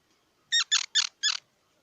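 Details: Squirrel calling: four harsh, squeaky harmonic barks in quick succession, each short and evenly spaced, against a quiet background.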